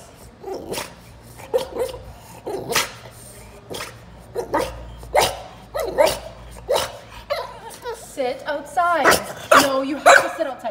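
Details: A French Bulldog, kept outside temporarily during a house move, answers its owner's scolding for misbehaving with short yips, grumbles and wavering whines.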